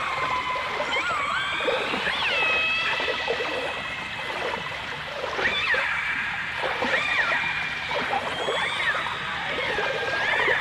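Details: Overlapping dolphin whistles in a 1989 stereo recording alongside orcas: long wavering tones and short swoops, many voices at once, with dense rapid clicking and a constant watery crackle beneath.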